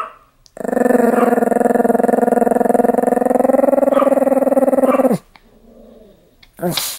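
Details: An enraged Pomeranian keeps up one long, steady, buzzing growl for about four and a half seconds. Quiet follows, with a brief noisy burst at the very end.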